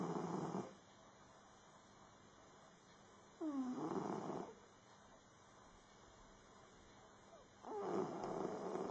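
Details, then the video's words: Max, a domestic cat, sound asleep and snoring: the end of one snore, then two more rough, rasping breaths about four seconds apart, one starting with a brief descending whistle, with calm quiet in between. "snoring cat max"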